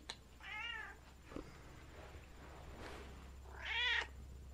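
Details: Domestic cat indoors meowing after an automatic feeder fails to release food; two arched meows, a short one at the start and a louder, higher one near the end, with faint clicks and a steady low hum between.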